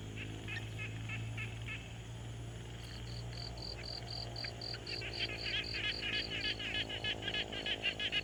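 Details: Frogs at a quiet pond, Tascam Portacapture X6 recording: faint raspy pulses, then a higher tonal note repeated rapidly, joined by louder rasping calls building toward the end over a steady low hum.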